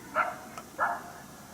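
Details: Coyote heard but not seen during a 1 March 2019 hunt at St-Andrews, objecting to a person's presence: two short, hoarse barks half a second apart.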